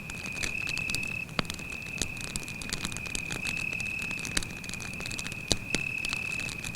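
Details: Steady, piercing cricket trill at night next to a forest campfire, unbroken for the whole stretch, accompanied by fire crackle and several sharp wood pops.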